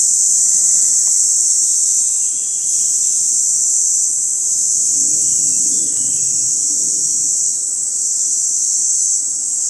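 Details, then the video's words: Mountain cicada calling song, recorded during a 2014 photo-hunting outing: a steady, unbroken high-pitched buzz holds at one level throughout with no pauses, over faint low background rumble. "Hegyi énekes kabócák hívóéneke"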